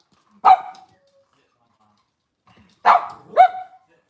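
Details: Cavalier King Charles Spaniel barking in a home kitchen on a cloudy Monday morning, where mothers, puppies and sometimes fathers are kept: three sharp, bright barks, one near the start and a close pair about three seconds later, with silence between.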